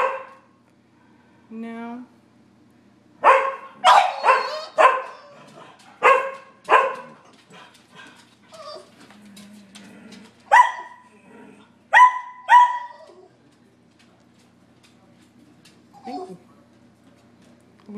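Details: Sheltie, Collie and French Bulldog barking at a squirrel in March rain; a burst of clustered barks, quieter gaps with faint whines, then a few final sharp barks before the noise dies down.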